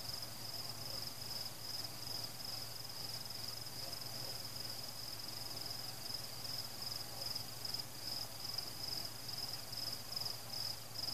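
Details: Night crickets accompanying a fireworks celebration outdoors: a continuous shrill trill pulsing rapidly and evenly at a constant high pitch, with a soft low steady drone beneath and no explosions audible.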